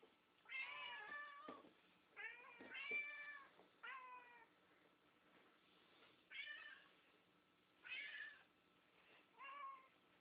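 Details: Hungry household cats, a tabby and a Siamese, keep meowing as their meal is prepared; a long series of loud, bending, harmonic meows in bursts, several overlapping early on, then spaced calls every one to two seconds.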